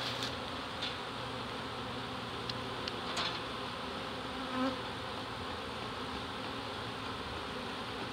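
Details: Honey bee swarm of nearly 7 lbs being captured from a fence in Dale County, Alabama, early season; continuous even droning buzz with faint scattered ticks and taps over it.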